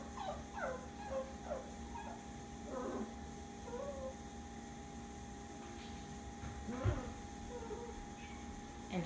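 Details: Labradoodle puppies at bedtime, one of them crying before settling to sleep: a series of thin, high whimpers and short yips rising and falling, several close together early on, then scattered, over a steady low hum.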